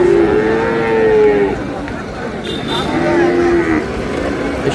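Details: Sahiwal bull calf at a crowded cattle market in Noakhali, Bangladesh, dated 8 May: two long, drawn-out moos, the first about a second and a half, the second shorter, over a steady murmur of voices and market noise.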